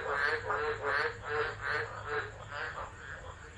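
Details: Tropical frogs calling in a tropical low at Driver, Northern Territory, Australia, December 2013, phone recording; quieter run of pulsed, quacking croaks about every third of a second, fading out over a low steady hum.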